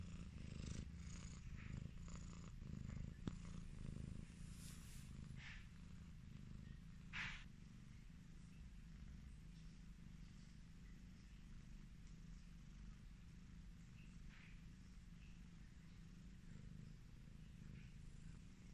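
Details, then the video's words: Highland Lynx cat purring steadily as it is petted, a deep rapid rattling rumble pulsing about four times a second, louder at first then settling; faint rubbing and brushing noises from handling. "The relaxing sound of a cat purring"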